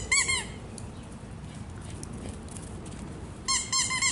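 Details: Naples, a rescued foster pup who once was terrified, plays ball and barks: a burst of three shrill, squeaky yips opens, then a quiet stretch of low hum, then another series of four high yips.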